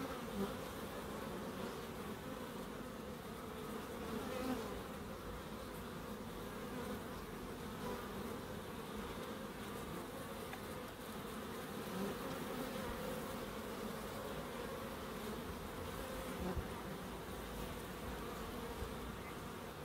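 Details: Bees in a small Crookes wildlife garden with a pond and bird boxes: a long, unbroken, low buzzing hum, steady in loudness, with occasional faint brief ticks over the drone.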